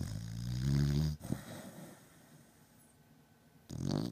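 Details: Sleeping beagle Batman, deep asleep, gives a loud low rattling snore, a pause with faint breathing, then the next snore beginning at the end.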